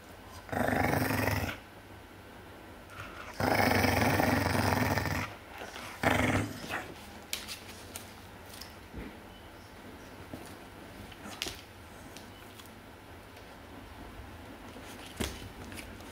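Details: Dog guarding its bone from a smaller dog growls in two long, rasping bursts of about a second and two seconds, then a brief snarl, followed by quieter shuffling and faint clicks.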